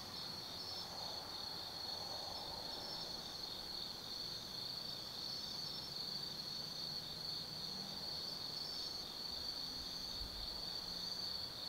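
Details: Night chorus of autumn insects in the Tsukimi no Mori forest, Kaizu, Gifu Prefecture, Japan, overlooking the Nobi Plain: unbroken high-pitched ringing trill with faint fluttering overtones above and low distant hum beneath.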